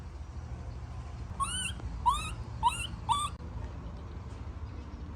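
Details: Young monkey in a tantrum when its mom walks away, giving four clear upswept whining cries about half a second apart, each with strong ringing overtones, against low background hum.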